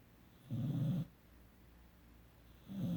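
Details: Sleeping 17-week-old puppy Emery gives a half-second rumbling snore, then a pause before the next low, throaty breath begins.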